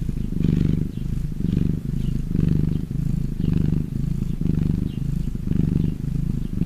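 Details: Happy domestic cat purring: a deep, low rumble pulsing in even swells roughly every second, with the vibration continuing between breaths and no other sounds.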